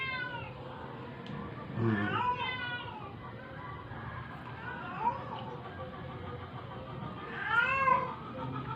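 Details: Dying stray cat, struggling while force-fed, lets out two drawn-out, wavering, harmonic meows, arching up and falling, a few seconds apart, amid quiet room noise and soft human murmuring.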